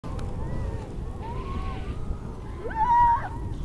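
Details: A newborn yellow-coat harp seal pup, perhaps an hour old, on the ice of the Gulf of St. Lawrence in late February, approaches the photographer to smell him; fainter tonal whines come first, then near the end a loud wail swoops upward and holds, over a low wind rumble.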